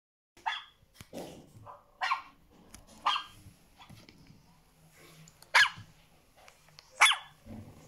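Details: An American Staffordshire Terrier puppy gives sharp, scattered alert barks in response to another dog barking, recorded in 2020.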